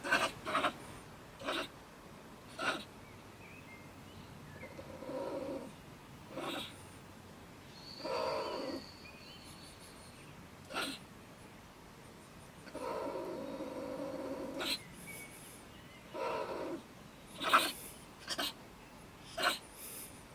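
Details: Agitated female stone marten (beech marten) raving at night from her woodpile next to a shed in Germany; irregular hoarse, hissing outbursts, some longer and grinding, others short and spat, with thin high whistles between them.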